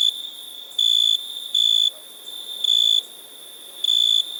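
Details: Four brief, bright, high chirps from a cricket, each about a third of a second long, separated by uneven gaps, with a quiet steady high tone underneath.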